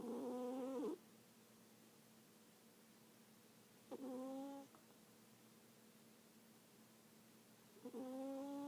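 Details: Sleeping domestic cat snoring: tonal, nasal, harmonic rasps about a second long, repeated roughly every four seconds with quiet pauses between breaths; a faint steady hum underneath.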